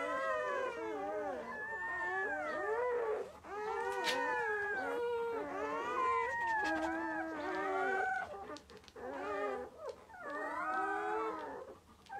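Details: Howling from a long-haired German Shepherd litter scene, the mother delivering six puppies; many short, bending, whining tones overlap in dense clusters, sliding up and down, with a brief lull near the third second and quieter stretches toward the end.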